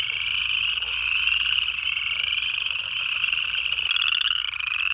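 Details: Frog chorus recorded in Georgia during January: many native frogs giving bright rising peeps that blend into an unbroken high shimmer, with one brief sharp click near the end.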